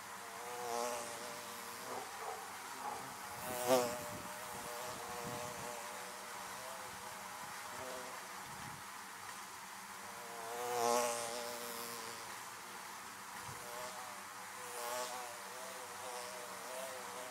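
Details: Honey bees flying around beehives make a continuous low drone that rises and fades as individual bees pass close. Brief louder swells come at about four and eleven seconds, with faint soft knocks between them.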